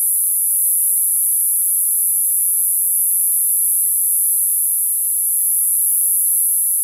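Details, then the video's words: Summer cicadas producing a steady, shrill, very high-pitched drone that holds at an even level without breaks, with a faint hiss beneath. "Cicada sound, cicada sounds, summer cicada sound, Sounds of the cicada"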